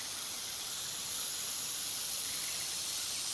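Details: Black rat snake in a threatening posture, flicking its tongue, stretching its jaw and holding its mouth wide open, giving a steady, airy, breathy hiss that runs unbroken for over three seconds without pauses.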